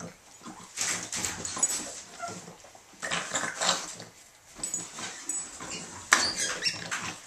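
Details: Two Boston Terriers playing rough tug-of-war indoors, one on her third birthday; bursts of raspy, noisy growling and huffing come in clusters of a few seconds, separated by brief quieter gaps, with scuffling sounds.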